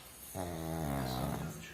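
A pug snores with a deep, rattling drone while asleep.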